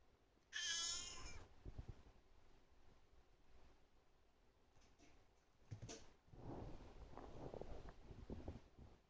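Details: Cat asking for food: one loud, high, harmonic-rich meow lasting under a second near the start, followed by soft rustling and shuffling noises for the rest of the recording.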